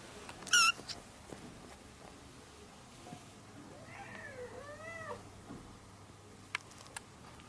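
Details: Orange kitten at play, calling its mother: one sharp, high-pitched meow near the start, then two softer, lower meows that arch up and fall, with scattered clicks and tapping in a small indoor space.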